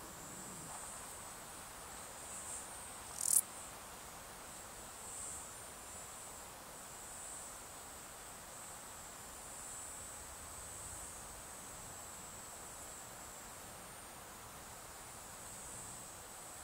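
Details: A male Stal's Saddle Bush-cricket (Lluciapomaresius stalii) gives a steady, high, hissing buzz of calling song throughout, recorded 13 July 2019 in the Sierra de Guadarrama.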